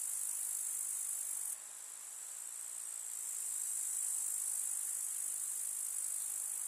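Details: Summer meadow grasshoppers in rural countryside produce a continuous shrill, sizzling stridulation, very high and unbroken, dipping briefly in volume before swelling again. Nothing else stands out.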